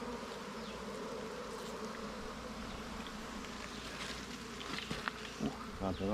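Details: Low, unbroken hum of many wild bees at a nest during a honey hunt, with scattered rustles and a few spoken words rising toward the end.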